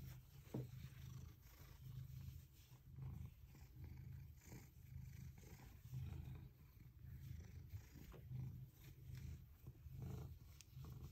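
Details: A male domestic cat purring in the morning while pressing his face into a hydrangea in a bathroom; a soft, low, continuous rumbling purr that swells and fades in steady breath cycles about once a second, with no other clear sounds.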